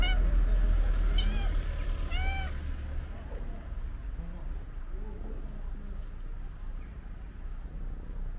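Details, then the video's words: A stray female cowcat greets the person who feeds her at their regular meeting place. Two clear arched meows sound within the first three seconds, each rising then falling. Faint quieter sounds follow over steady low background rumble. "Cute cowcat is waiting for me and starts meowing when she saw me"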